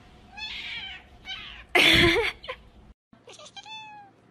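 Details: Domestic cat meowing indoors: a series of short, bright, slightly wavering meows, then a loud harsh noisy burst, then after a brief silence a clear rising-then-level meow near the end.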